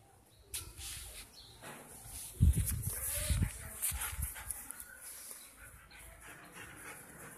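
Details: Double-coated male German Shepherd puppy named Drogo, five months old, newly brought to a new home and playful; a few low barks and whimpers around the middle, with a person calling his name.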